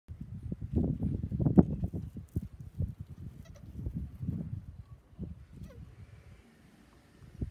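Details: Angulate tortoises mating, rescued from an empty building plot and temporarily homed before release to a nature reserve; rapid low, grunting bursts pulse about four times a second, swelling and fading, with a few brief sharper squeaks and light background hiss.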